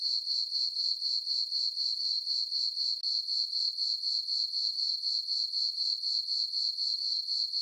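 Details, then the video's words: Crickets chirping on a peaceful summer night in a farm meadow under a full moon: a steady, high, pure trill pulsing about four times a second without pause, with no other sounds. "Cricket chirping sounds for sleeping"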